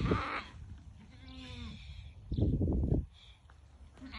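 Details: White Awarid goat from a herd of ten with its buck, kept in the Al-Summan area, giving a single drawn-out harmonic bleat, with rustling and handling noise before and a loud thump just after.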